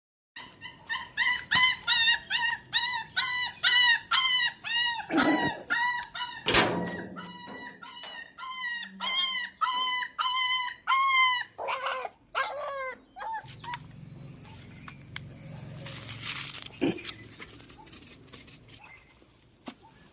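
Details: Puppy crying indoors, a fast series of high, arched whining yelps repeated about twice a second, weakening into softer squeaky whimpers, then rustling and handling noise at the end.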